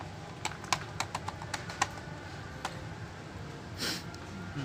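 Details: A series of sharp taps and clicks over low room hum, then a short soft rustle; no animal call is heard.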